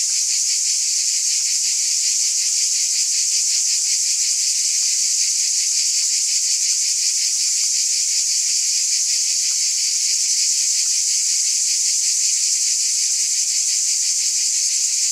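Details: Unbroken shrill buzz of cicadas holding one high hissing tone for the whole stretch, textured by a fast, even pulsation beneath it; nothing else audible.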